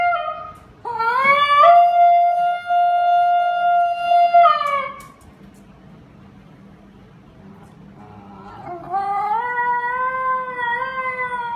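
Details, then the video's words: A Basenji, a dog that does not bark normally but may yodel or scream when excited, gives a long, rising, wavering yodel, then starts another after a pause. "did you know the Basenji an african wolf dog does not bark in a normal way but may yodel or scream when excited"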